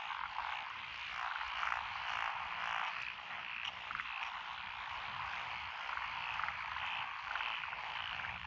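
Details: Frogs call together in lotus rice paddies in Echizen, Fukui, Japan, recorded 12 June 2021. The species include Japanese tree frog, pond frog, wrinkled frog, Schlegel's green tree frog and forest green tree frog. Layered trilling croaks swell and fade slightly.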